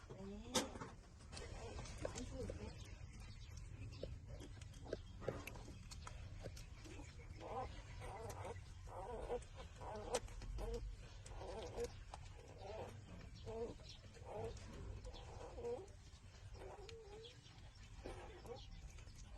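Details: Six-day-old newborn puppies suckling at their mother's teats; soft, faint whimpers and squeaky grunts rise and fall in short, irregular bursts over a steady low rumble of background noise.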